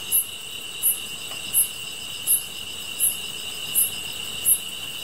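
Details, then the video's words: Chorus of grass insects: a continuous high, ringing drone layered with crisp, very high chirps pulsing about every 0.7 seconds in a fairly even rhythm, and little else audible. "풀벌레 소리"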